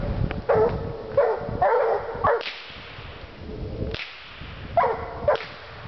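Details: Two Walker Hounds treeing: a few loud chopped barks near 500 to 600 cycles in bursts, separated by sharp whip-like cracks and low rumbling noise, with quieter gaps between.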